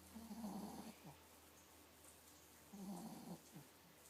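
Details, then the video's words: A nine-week pregnant Miniature Pinscher named Pixie snoring: two low, rattling inhalations about two and a half seconds apart, each followed by a brief soft snort. "Pixie snoring"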